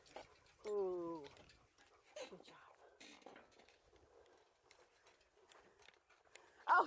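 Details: Alaskan Malamute pulling a beach bike along a river gives one drawn-out harmonic whining 'woo' that dips slightly in pitch over half a second. Scattered faint rustles follow, and a short, sharp rising yelp closes the stretch.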